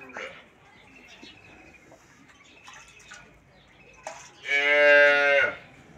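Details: Dairy cow on a farm, said to give over 18 litres of milk, lowing just before live milking: one loud, rich harmonic moo lasting about a second, after a few faint scattered clicks and rustles.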